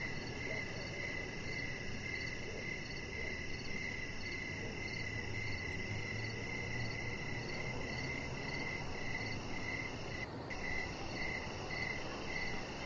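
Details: Evening crickets outside by a deck make a dense, nearly continuous high trill of rapid chirps over steady background noise, broken by a brief disturbance near the end.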